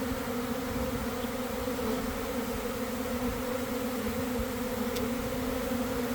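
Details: Swarming honey bees entering a new hive box in a garden: loud, continuous droning hum, unvarying and full, with a faint tick near the end.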